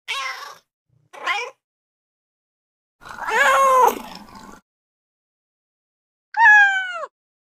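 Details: Domestic cat meowing in four separate calls: two short nasal meows, a longer wavering meow, then a final clear, bright meow falling slightly at the end, with silent gaps between.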